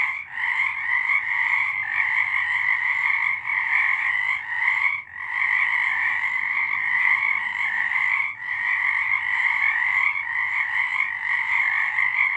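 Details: Frogs in full chorus on a March night in 2023, an intense sustained trill of countless overlapping croaks with only three short breaks across the stretch, steady volume throughout.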